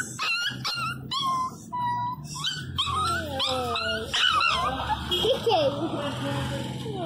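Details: Miniature Pinscher puppy crying loudly while getting its second vaccine injection: high, wavering yelps and whines with sliding, falling pitch, repeated in quick bursts, with a man's voice speaking over it.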